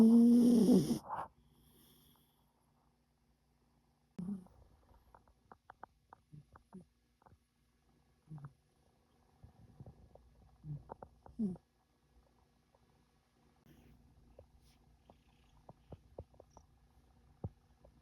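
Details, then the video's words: A sleeping cat snoring, a sign of ultimate comfort and security; soft, low snuffling breaths come in irregular bursts after a short loud noise at the start, with quiet gaps between. "Cats snoring means ultimate comfort and security"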